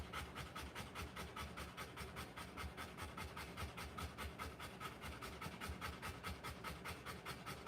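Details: Rottweiler in labour, delivering puppies, pants in quick, evenly spaced breathy puffs, about two and a half per second, with no other sounds over them.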